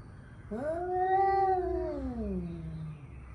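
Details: Angry male cat before a fight giving a single drawn-out yowl of about two and a half seconds, rising sharply, holding steady, then sagging into a low descending moan.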